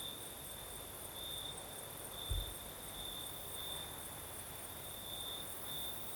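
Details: Crickets calling on a breezy night in Crimea's south; a steady high trill with gentle rhythmic pulsing, a faint high insect hiss, breeze noise, and a short low thud just past two seconds.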